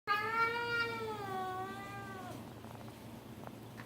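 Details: A Bengal cat makes funny sounds while eating pasta, a long, drawn-out meow that wavers and slowly falls in pitch. Bengal cat.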